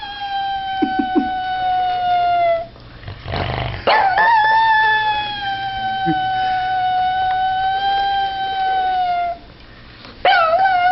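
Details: Pug named Abner howling at a squeaky toy indoors: a long, steady, tonal howl with rich harmonics holds for several seconds, drops out briefly with a short noisy burst, resumes for about five seconds, then a final rising wail begins.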